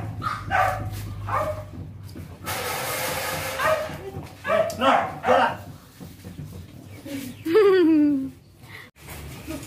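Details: Pug and French bulldog puppies playing together indoors: short yapping barks and yelps in bursts, then a drawn-out descending whine near the end, with people chatting in Indonesian throughout.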